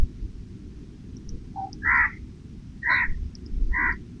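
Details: A squirrel eating nuts and snacks offered under tree shade, hesitant at times, gives four short, harsh chirps, each sharper than the one before, scattered over a few seconds above a steady low rumble.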